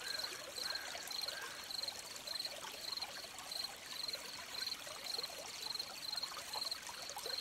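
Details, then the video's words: Crickets beside a stream: a regular series of short, high, thin chirps repeating about every half second in the background, over the steady trickle and splash of running water. "Crickets by the Stream"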